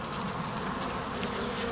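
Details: Swarm of honey bees arriving at a bait hive in a garden, recorded on the first of June: a dense, continuous buzzing hum that stays steady throughout.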